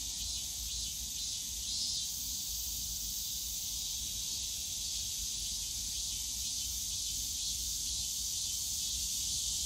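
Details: Cicadas buzzing in a bamboo grove at Yongsan Family Park on a summer day: a steady, unbroken high-pitched hiss that never pauses, over a low rumble of park noise.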